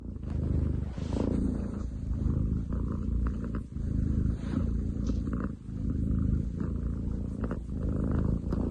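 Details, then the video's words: Male long-legged munchkin cat purring very loudly, compared to a construction site, recorded 30 July 2023: a deep, rough rumbling drone that swells and fades with each breath, pausing briefly between cycles. "工事現場並みに喉を鳴らす猫。Cat purr like construction site!?"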